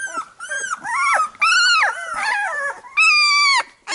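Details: Labrador Retriever litter just after nursing, mother grooming the pups; loud, drawn-out nasal whines, some steady and some sliding up then down, each lasting about half a second to a second, with brief gaps.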